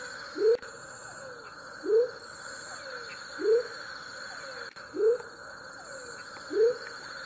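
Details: Male Leptodactylus savagei calling in Tayrona National Natural Park: five short, low, whooping notes, each sweeping upward, spaced about one and a half seconds apart, over a steady high-pitched background drone.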